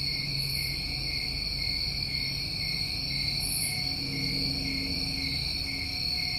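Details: Summer cricket chorus from New England: dense, even, high ringing trills layered at several pitches, with faint brief higher chirps over the top and little low-end noise.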